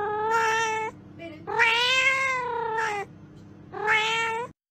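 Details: A cat meows three times, each call drawn-out and nasal, rich in harmonics and wavering slightly in pitch. The middle call is the longest, and a low hum runs underneath.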